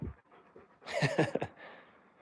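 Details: Indoors at home, Alaskan Malamutes wrestling and rolling around: faint panting gives way to a brief, loud, throaty vocal burst of about half a second with stacked tones, then quiet breathing.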